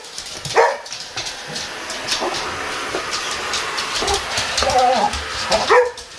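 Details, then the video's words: Boxer dogs facing a running vacuum cleaner indoors. A loud bark opens the stretch and another comes near the end, with the machine's constant whooshing drone filling the gap between them. "Boxer Dogs Vs Vacuum Cleaner!"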